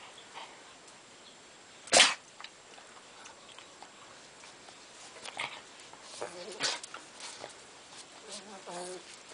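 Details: A Pekingese at play gives one sharp bark, then a few soft, whiny yips, with a voice faintly in the background.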